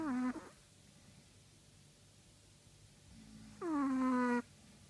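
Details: Snoring Chihuahua with two whistling, nasal tones sliding downward. A short one opens the recording and a longer one comes after a low rumbling inhale, with near silence between.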